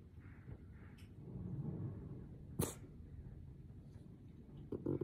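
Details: A tired, grumpy merle French Bulldog puppy gives a low, rumbling growl in annoyance at irritating sounds, with a sharp snort partway through.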